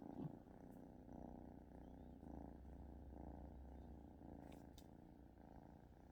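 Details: Lemon, a pet cat, purrs after a bout of coughing while with companion cat Petey; a deep, even rumbling purr pulses in regular breaths for six seconds, with a couple of faint clicks and no voices.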